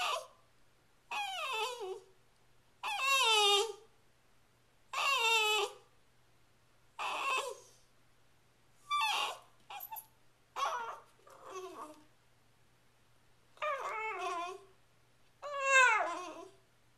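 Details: Sachi, a female Shiba Inu kept as a pet, 'talks' to hurry her owner along with dinner, April 23, 2010; a long run of expressive wavering whines and yodel-like yowls, roughly every two seconds, in a quiet room.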